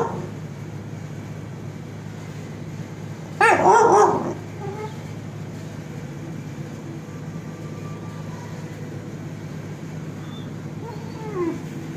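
A Great Dane puppy gives one sharp, high bark, followed by faint whimpers over a steady low hum.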